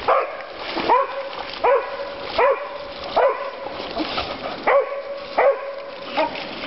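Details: At Board's Crossing on California's Stanislaus River, the dog Dokota, who likes hearing herself bark, gives fairly regular barks roughly every three-quarters of a second over continuous rushing noise, on a fine Father's Day.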